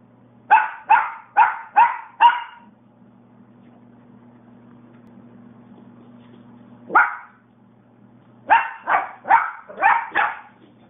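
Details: Young dog in her puppy days barking at a man: a quick run of five sharp barks, a pause with a steady low hum, then one bark and another fast burst of five.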